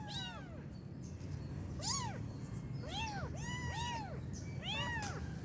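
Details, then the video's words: Kitten meowing: about six arched, rising-then-falling meows, some overlapping in quick succession, over a steady low hum. "Suara Anak Kucing Mengeong"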